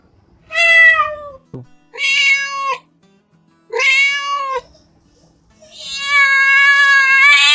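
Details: Cat meowing three times, each call a sustained, bending wail with strong overtones, then a longer steady tonal sound rising in at the end over a faint background hum.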